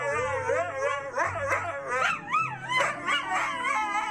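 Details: Siberian Husky singing along with music: rapid wavering, yodel-like howls with quick pitch swoops, over a steady low musical accompaniment.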